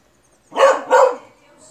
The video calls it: RAÇA BEAGLE - CONHEÇA O LATIDO DO BEAGLE